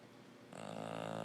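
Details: A sleeping female English Bulldog snores with a rough, buzzing rattle that swells abruptly and holds steady.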